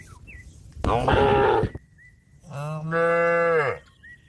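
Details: Cattle calling herd mates to return to the pen: a harsh, noisy bellow, then after a pause a long, steady, tonal moo, with faint bird whistles in the background.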